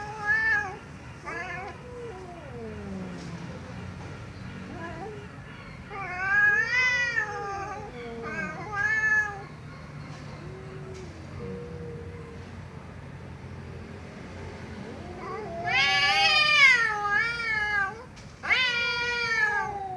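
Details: Domestic cat meowing loudly: scattered short mews and a quieter low murmur between, then bursts of loud, strained, high wailing meows toward the end.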